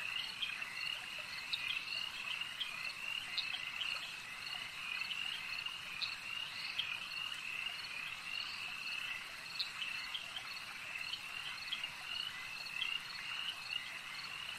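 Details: Frogs at a lake calling in a dense chorus: steady high trilling bands with short, bright croaking notes rising out of them every second or two, and an insect-like buzz running underneath throughout.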